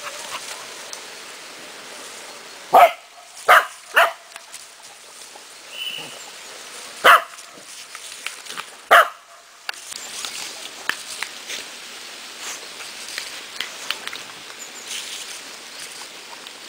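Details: Cardigan Welsh Corgi playing outdoors with water, dancing and jumping; several short sharp barks in bursts between about 3 and 9 seconds, then quieter splashing and faint clicks.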